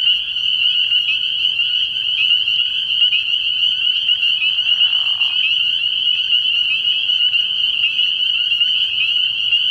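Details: Night chorus of spring peepers at a frog pond early in the year, many high piping calls overlapping into a continuous shrill ring, with a brief soft lower murmur near the middle.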